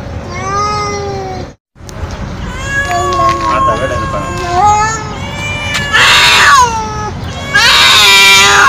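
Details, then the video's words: Stray feral cat meowing very loudly: a long meow, a short gap, then wavering, bending cries and two harsh noisy bursts at the end, with a steady background hum. "Sounds That Attract Cats - Meow To Make Come To You"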